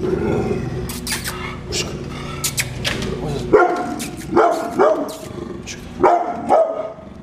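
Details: Guard dog, a brindle pit bull at home, gives a muffled noisy stretch, then about five sharp barks in the second half, some in quick pairs.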